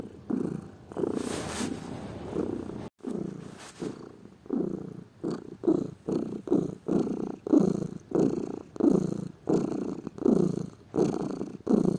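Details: Lazy domestic cat purring; an irregular, softer stretch with a brief rustle near the start, then a steady low throbbing purr pulsing in quick regular breaths through the rest.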